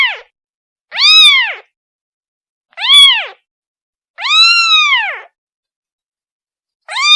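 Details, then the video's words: A kitten cries out for its mother with loud, arching meows, some short and one drawn out longer, about four calls separated by pauses of one to one and a half seconds, nothing else audible. "The sound of a kitten calling its mother"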